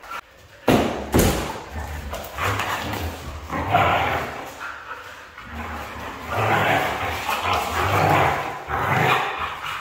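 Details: Red female Siberian Husky with a couple of sharp thumps at the start, then rough, throaty grumbling calls rising in bursts during the second half, over a low hum.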